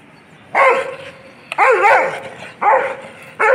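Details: Dog described as a mad dog, barking aggressively: four loud, harsh barks in quick succession, each a rough, wavering burst, with a short pause before the last bark.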